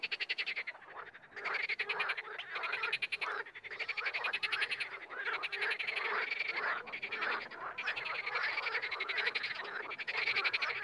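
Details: Frogs croaking together in a dense chorus, rapid pulsed rattling calls overlapping almost without pause, a few brief gaps between bursts.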